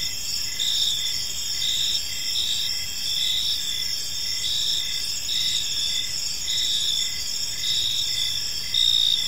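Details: Several crickets chirp together in a serene park at evening, their high trills pulsing in short repeated bursts over a steady ringing insect background, a faint low hum beneath.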